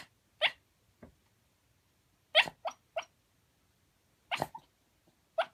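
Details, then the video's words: Shiba Inu, a formerly kept pet dog, asleep and talking in its sleep: short broadband yips and whimpers in scattered bursts, some paired, separated by quiet pauses, with a faint low rumble beneath. "柴犬 寝言 いびき"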